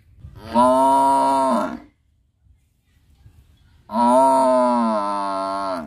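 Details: Buffalo lowing twice: a deep, even moo of just over a second, then a pause, then a second longer moo that drops slightly in pitch before trailing off.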